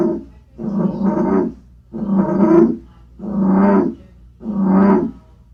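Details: Indoors in a home reptile room in mid-March, where frog calls were being played to captive frogs, an American bullfrog gives deep, droning croaks, each about a second long, in a slow, steady series.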